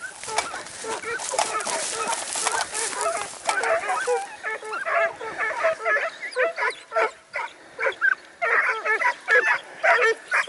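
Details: Segugio Italiano at a training session in Sofiko, Evros, 12 September 2018: continuous high, wavering yelps and bays pile over one another, then break into short bursts separated by brief pauses.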